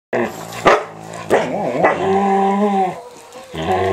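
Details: Standard Poodle Micah, an 8-month-old, makes weird noises while nibbling an older poodle's face and ears during a daily indoor play ritual in an office: a short yelp, then drawn-out wavering harmonic moans and grumbles lasting over a second.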